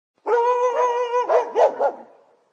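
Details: Dog in a professional recording: a long, steady, tonal whine-like call lasting about a second, then three short, sharp barks in quick succession, with no other sounds.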